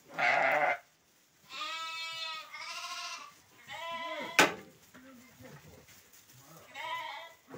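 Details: Male sheep offered for sale in Guelma, from a flock of 23, bleating in several wavering, nasal calls with clear harmonics, each lasting about half a second. A man speaks in Arabic at the start, and a sharp knock is heard midway.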